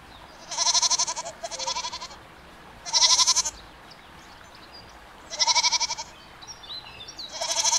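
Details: Domestic goats bleating in a series of loud, strongly vibrato, high-pitched cries, some doubled, spaced by about two seconds of near silence.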